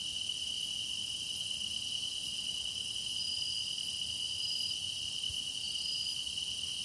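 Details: Grass insect song used for meditation: an even, piercing high trill sustained throughout, with airy upper overtones and a few thin, short whistles drifting over it.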